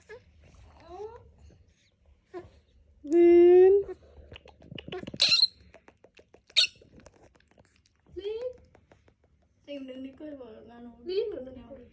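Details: Baby monkey wanting to hug a boy, giving a loud, drawn-out tonal squeal mid-clip among shorter rising squeaks and soft chirps, with people talking quietly in a small room.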